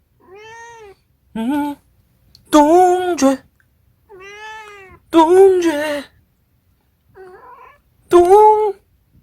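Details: Pet Munchkin cat called Dongjae meowing repeatedly: a run of six or seven clear, arched meows, some soft and rounded, others louder and more strained, spaced roughly a second apart with brief silences between.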